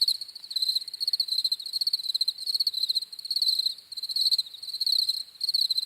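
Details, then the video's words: Several crickets chirp together, their high, rapid pulsed trills swelling and fading in uneven bursts over a few seconds, steady and shrill with nothing else audible. "10 MINUTES OF CRICKETS CHIRPING SOUNDS"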